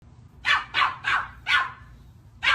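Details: Golden Retriever barking in a quick series of five loud, sharp barks, four close together then a short pause before the last, in a quiet indoor setting.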